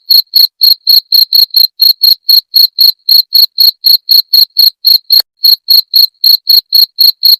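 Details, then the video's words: Cricket, played to drive away rats, giving a run of short, bright, high-pitched chirps at roughly four a second, regular with slight gaps, and no other sounds around it. "Suara Jangkrik pengusir tikus"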